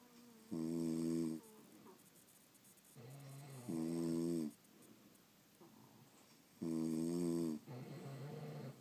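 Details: Sleeping French Bulldogs snoring indoors: three loud harmonic, wheezy inhalation snores roughly every three seconds, each about a second long, with softer rasping exhalations between them in a quiet room.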